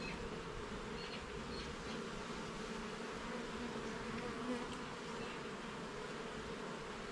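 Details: An even, unbroken drone of many honey bees at a garden hive while its levels and frames are inspected. The hum holds a constant low pitch and steady loudness throughout, with no other sounds.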